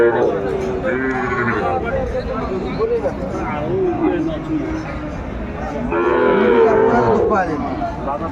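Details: Sahiwal cattle market in Kurigram, Bangladesh, on 14 December 2024: drawn-out bovine lowing from several animals, louder bursts near the middle and end, against a steady murmur of people.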